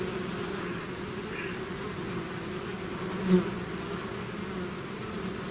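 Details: Bees pouring from their hive in a swarm, a low, continuous drone; one bee zips close to the microphone midway, briefly louder.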